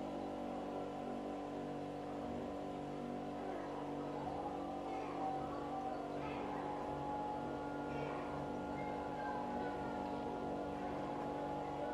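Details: Quiet steady background music with sustained droning tones, faint brief sweeping sounds, and no animal voice.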